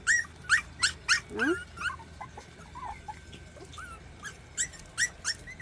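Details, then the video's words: Rural mixed-breed puppies, about 40 days old, whine while trying to get up stairs; scattered short high whimpers with pauses, one lower downward whine, and a woman's voice coaxing them. "계단을 오르고 싶은 시골 강아지 세마리"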